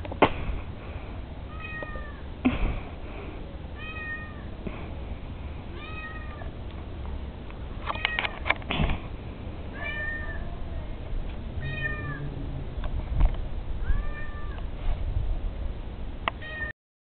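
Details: Neighbour's cat giving a run of short, thin, squeaky meows, each bending up then down, spaced one to two seconds apart over constant low background rumble and a few clicks.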